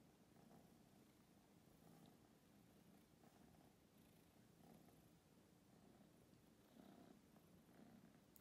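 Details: Steady low purring from a domestic kitten, Bella or Ziggy, rescued from a street and brought from St. Petersburg to a Berlin apartment in February 2022; continuous rumble with gentle pulses roughly every second, quiet room, no voices.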